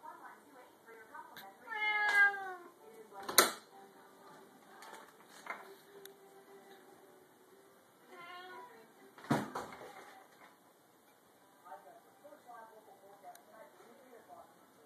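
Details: A Bengal cat that likes jumping onto the top of an opened pantry door gives two drawn-out, wavering meows, punctuated by sharp bangs like the door being struck.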